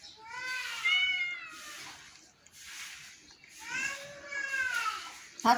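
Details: Domestic cat at home, two long drawn-out meows with rising then falling pitch, separated by a short pause, while a person coaxes it to eat.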